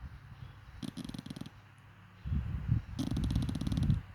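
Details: Namchok the dachshund sleeps on the sofa, letting out low, fluttering, buzzy snores: a quieter burst first, then a louder rattling stretch of rapid pulses over the final two seconds.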